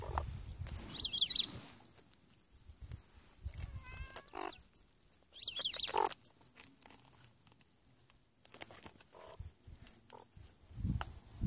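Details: Meerkats while eating give a short stacked, nasal call near the middle, with sharp broadband chirps before and after, spread through low rustling and chewing noises.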